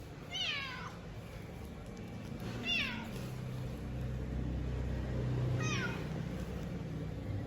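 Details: A cat waiting for food meows three times, each call short and sharply falling in pitch, spaced about two and a half seconds apart, over a steady low rumbling background hum.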